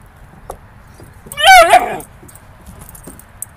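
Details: Puppy playing on a slide gives a single short whimpering yelp with wavering pitch, lasting about half a second amid quiet background.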